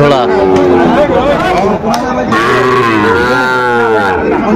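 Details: Sahiwal cattle at a cattle market in Kurigram on 17 April 2025, where a farmer bought a Sahiwal bull calf; drawn-out harmonic lowing rises and falls over a steady crowd murmur and chatter.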